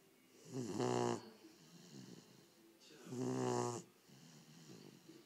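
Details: Cane Corso puppy Cesare snores while lying with open eyes, giving slow rhythmic rasping inhalations roughly every two and a half seconds, each a harsh vibrating drone fading into soft breathing.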